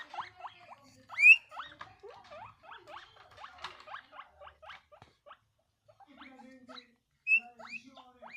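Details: A guinea pig gives rapid bursts of short, rising squeaks after a loud noise, a happy, excited chatter.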